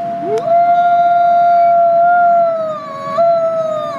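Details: Nikai, a captive-born gray wolf at the Wolf Conservation Center, South Salem, New York, gives a loud howl: a quick upward swoop into a long, clear, level tone, a dip near the end, then a brief higher step.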